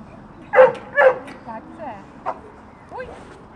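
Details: Two dogs at a dog training school grounds in March 2014, giving a pair of sharp barks close together, followed by softer voiced sounds and people talking in the background.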